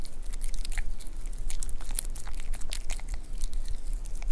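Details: Male White Pomeranian eating beef rib soup served warm for chilly weather; close, steady crunching and biting sounds, rapid uneven chews with brief wet smacks, recorded indoors.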